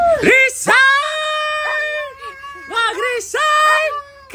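A husky gives drawn-out, wavering yowls that rise and fall in pitch, like talking.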